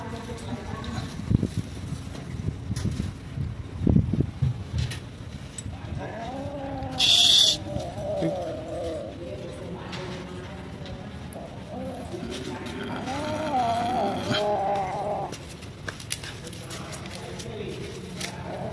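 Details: Hungry cats and kittens living at a pagoda, being fed rice and raw food, give repeated drawn-out wavering meows, several overlapping, amid handling noises, a brief sharp clatter and a person speaking.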